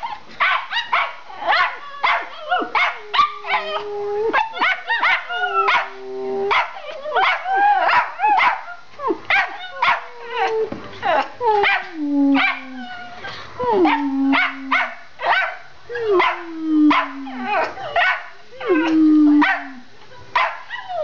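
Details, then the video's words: A long burst from two Schipperkes, Bella and Gina, barking as they run through the house: dense, excited high yapping with frequent drawn-out whining barks that slide downward in pitch, nearly nonstop indoors. "Schipperkes Barking"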